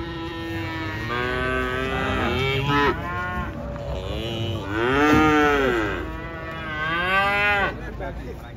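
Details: Cattle being unloaded from a truck, several loud, drawn-out harmonic moos in succession, some rising and falling in pitch, overlapping one another with little other noise.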